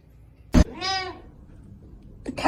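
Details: Domestic cat, part of a kitten compilation, giving a single drawn-out meow that rises and then falls, set between sharp knocking clicks in a quiet room.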